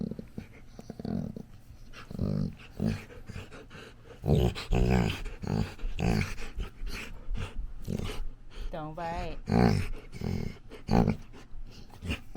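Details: A female Labrador puppy grunts, pants and gives wavering whiny yelps while playing with her dad, with a person talking and music.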